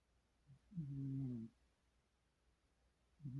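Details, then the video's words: Domestic cat dreaming in its sleep: a faint tiny grunt, then a soft low moaning hum of roughly three quarters of a second, and the start of another murmur at the end; quiet indoor background. "Kitty dreaming and snoring"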